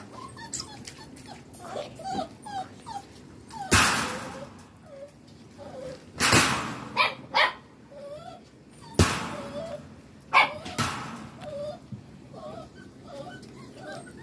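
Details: Puppies rescued from the street in southern Lazio, Italy, among them the female Giselle and her sisters, whimpering in short, thin, rising-and-falling whines repeated many times, broken by loud thumps and handling noises, a person briefly speaking.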